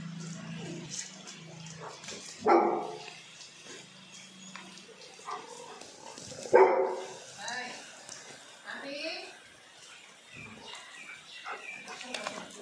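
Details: German Shepherd barking, reportedly annoying the neighbours; two sharp barks about four seconds apart with softer yips and voices between them.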